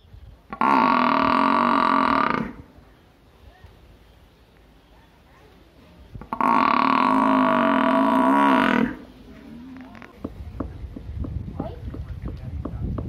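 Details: Village buffalo giving two long, loud, droning calls, each about two seconds, rich in stacked harmonics and separated by a quiet pause, followed by low rustling and clicking noises.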